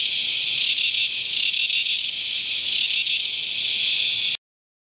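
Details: Wild Australian cicadas at Promised Land, New South Wales, or Mt Tamborine, Queensland: a shrill, sizzling screech with gentle rhythmic pulsing, sustained for over four seconds before ending abruptly.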